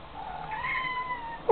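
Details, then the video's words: A pet Siamese cat indoors, sitting in a bathroom sink and said to be singing, gives one drawn-out tonal meow that rises slightly and then holds steady for just over a second, followed by a person beginning to speak. "talking siamese cat"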